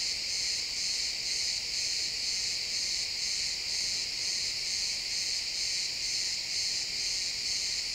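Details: Pine forest crickets at sunset, stereo XY capture: many insects chirp together in a high, buzzy band, beating regularly about twice each second with no birds or voices.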